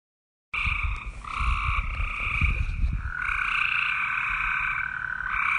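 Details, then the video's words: Frog calls as long, drawn-out trilled croaks, each lasting a second or more and overlapping, with a few low thumping knocks early on and a steady background hiss. "Frog 🐸 voice"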